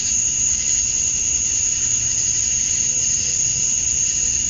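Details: Male cicadas chirping to attract females at summer dusk in Georgia, USA: a steady, shrill, high-pitched drone with a second, lower insect band beneath, unbroken for the whole stretch, with no other clear sounds.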